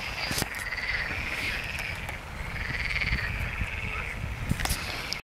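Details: A steady chorus of water frogs, recorded 29 November 2022 alongside a great crested grebe, many overlapping rattling, purring croaks merging into one continuous churring drone over a low rumble of wind.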